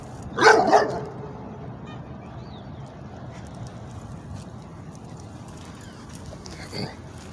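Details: Legend, an American Bulldog/Pit Bull mix in an urban neighborhood, trying to get at a cat: two loud, sharp barks in quick succession near the start, then a low hum of background noise and a faint single bark near the end.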